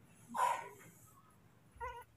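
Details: Baby monkey Moni, furious at being left for a while by his father to pick fruit, kept and cared for indoors: a short shrill squeal, a pause of quiet room noise, then a brief tonal whine near the end.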